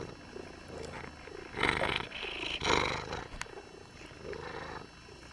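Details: Milo, a green-eyed domestic cat belonging to neighbours, purring in soft, breathy rasping waves, with two louder noisy surges around the middle and quieter rhythmic pulses before and after; a faint steady hum runs underneath.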